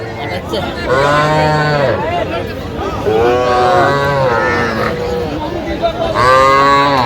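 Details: Calves at a Bangladeshi cattle market in Jamalpur, 25 October 2025, where a farmer buys tiny bull and heifer calves: three clear, arching moos about two to three seconds apart, with background crowd murmur.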